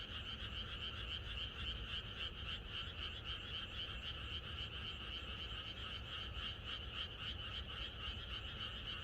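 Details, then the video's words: Many frogs croak together in a rural night chorus before rain, a continuous rapid pulsing of rasping notes that layer into an unbroken wall of sound over a faint low rumble. "개구리들의 합창"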